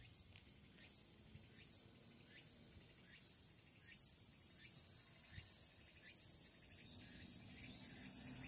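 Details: Tsukutsukuboshi cicada beginning to sing on the evening of 8 August 2022, the day after the calendar start of autumn, amid hot weather; high buzzy pulses repeat about every 0.7 seconds, speeding up, over a steady shrill insect drone.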